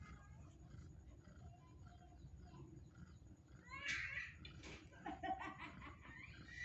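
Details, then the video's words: Newborn kitten, zero days old, calling for its mother's milk; faint murmurs give way to a few brief, higher, harmonic-rich mews in the second half, with soft rustling between. "Anak kucing usia 0hari minta susu emaknya"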